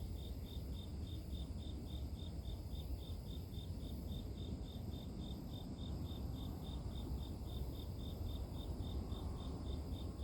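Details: Ten seconds of even, rapid grass-insect chirping, short high pulses repeating about three and a half times a second without a break, beneath which a constant deep rumble of outdoor noise runs.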